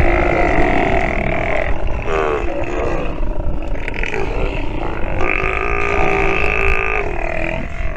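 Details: Sea lion pup calling while nursing, long harmonic bawling moans with wavering tones, repeated in several drawn-out bouts over steady low rumbling background noise.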